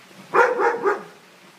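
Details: A Siberian Husky frightened of balloons gives three quick, tuneful yowling whines, a fearful vocal outburst.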